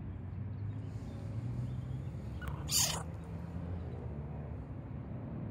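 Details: Young martens give a single short, raspy screech near the middle, sharply rising out of a steady low rumble of background noise.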